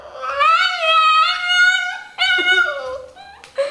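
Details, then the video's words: Domestic dog "talking" back to its owner indoors: long, tonal yodel-like whines that waver up and down, pausing briefly before a second, falling moan, with the owner's Dutch speech close by. "talking dogs"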